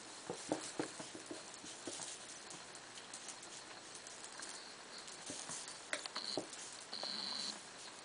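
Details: Two African pygmy hedgehogs, Mocca, an Algerian brown, and Grumpy, an albino male, mating successfully. Soft scratchy patter and clicks throughout, then near the end a brief high thin whistle followed by a longer, steady high-pitched whistled note.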